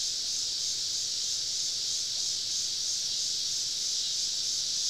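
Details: Cicadas singing all around a campsite deep in southern woods on a summer evening: a dense, unbroken shrill hiss holding steady at high pitch throughout, no other clear sounds.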